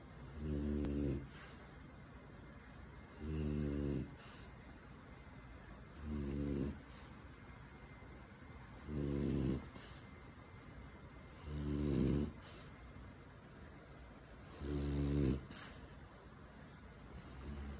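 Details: A French Bulldog wanting cuddles snores comfortably in its owner's arms, deep, rattling low breaths repeating about every three seconds.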